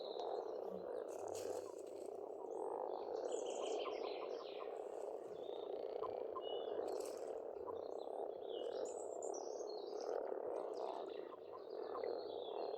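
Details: A spring frog chorus from a farm pond in Estonia: countless overlapping croaks make a constant buzzing roar, with scattered bird chirps and whistles above and a faint low hum underneath.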